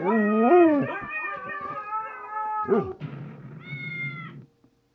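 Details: Siberian Husky howling: a wavering, rising and falling tonal howl, then a sustained, talkative moan, a short yelp, a rough grumble, and a final high whine.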